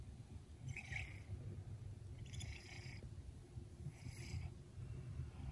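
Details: A sleepy 19-month-old red smoke Maine Coon, kept indoors by storms, purrs very gently while sleeping in his bed on a lazy afternoon: a soft, low, steady rumble with faint breathy puffs about every one and a half seconds.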